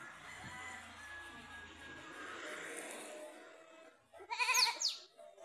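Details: Goat fighting with another goat, giving a loud wavering bleat near the end with strong upper harmonics, after a stretch of murmur and background hum.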